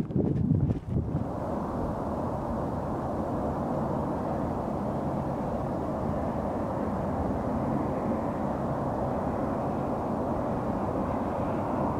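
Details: Steady broadband rumble like a passing vehicle or aircraft, with wind on the microphone, follows a short burst of handling noise; no animal sound.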